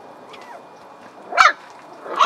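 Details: Puppies, hungry and waiting to be fed, give two short high yelps with a faint whine before them, against a quiet background.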